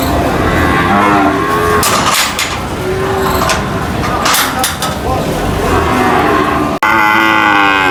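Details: Cattle being unloaded from a truck at a market moo repeatedly in low, drawn-out bellows, with people talking and vehicle noise around them.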